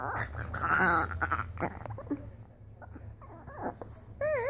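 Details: A pet dog making weird noises indoors: a mix of whiny, wavering vocal sounds and rough low tones, ending with a rising-and-falling whining call, with some background rustling.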